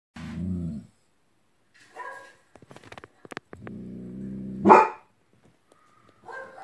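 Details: German Shepherd giving low, harmonic vocalisations: a short deep bark near the start, a drawn-out groaning sound ending in a sharp, louder burst, scattered clicks between, and a brief higher voice-like sound at the end.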